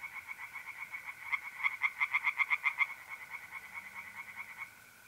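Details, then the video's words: Singing tree frogs at a pond, mid-April night, North-East Italy: a loose run of pulsed croaks swelling then fading, backed by the continuous trill of mole crickets. "relaxing singing tree frogs in pond and trilling mole crickets by night"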